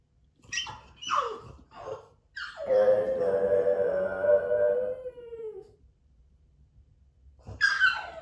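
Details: French Bulldog Moto-Moto left alone at home and caught on hidden camera: three short rising yelps, then a long steady howl of about three seconds that sags in pitch at the end, followed by another yelp after a pause. Indoor room.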